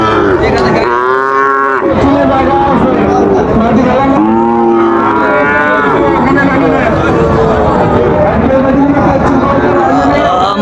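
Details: At a busy Monday market in Raniganj, Dinajpur, Bangladesh, on 9 September 2024, Sahiwal bull calves give two loud, drawn-out moos about three seconds apart, each roughly a second long, amid crowd chatter and fainter lowing.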